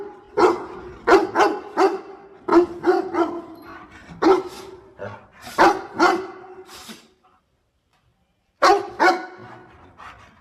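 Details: Dog barking as it helps its owner gather water spinach, rapid runs of sharp barks in clusters over seven seconds, then a pause of about one and a half seconds before another pair of barks.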